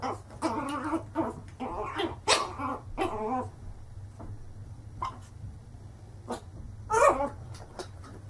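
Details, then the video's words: Dog in a funny barking compilation letting out a quick cluster of rough barks, then quieter scattered single barks with gaps, over a low background hum. "Funny Dogs Barking"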